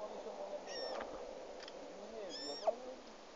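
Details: Lost, hungry roe deer fawn in a forest in Sîngerei, giving two high, arched bleating calls about 1.5 seconds apart, each a short squeaky note with bright overtones, over a steady background hiss.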